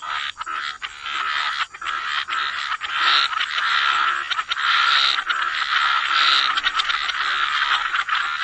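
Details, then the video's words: Frogs in a dense wetland chorus by the waterside, their overlapping croaks merging into a continuous buzzing wash with brief louder bursts and no clear gaps. "Relax to the Sound of Croaking Frogs"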